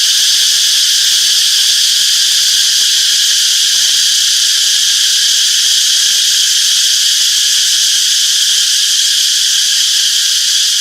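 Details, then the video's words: Constant shrill buzzing of many cicadas in a summer forest, a thick wall of high ringing bands that never breaks or fades, with no birds, wind or voices standing out. "Relaxing Cicadas Chirping Sounds - Peaceful Summer Forest"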